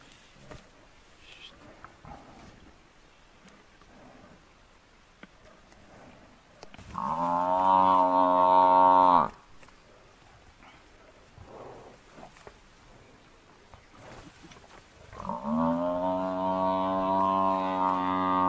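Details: Distress calls of a large buffalo bull being brought down by four male lions: after soft background rustling, a loud, rough bellow lasts about two seconds. Following a pause, a longer bellow is still sounding at the end.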